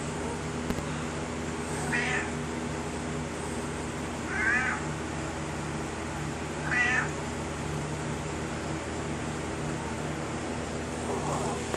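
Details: Domestic cat Kaiser talking to his owner about his day: three brief, soft meows roughly every two and a half seconds, a fainter fourth near the end, over steady low room hum.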